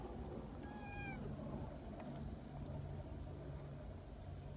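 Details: Community cats at a gathering in the mountains; one short, faint rising-then-falling meow near the start over a steady low hum and outdoor background noise.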